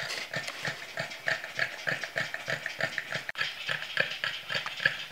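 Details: Boston Terriers exhausted after a short walk pant hard, a quick, breathy rhythm of about three huffs each second.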